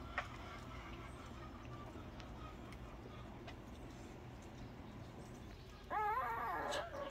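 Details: Dog heard over steady background hum; after about six seconds of near-quiet, a single wavering, harmonic whining call rises and falls for just under a second.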